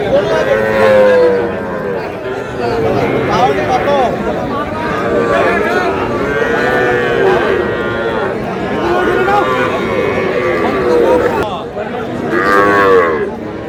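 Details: Moos from Sahiwal breed bull calves at a busy cattle market, with a Noakhali farmer buying: a string of harmonic, wavering lows over steady human talk, with one louder bellow near the end.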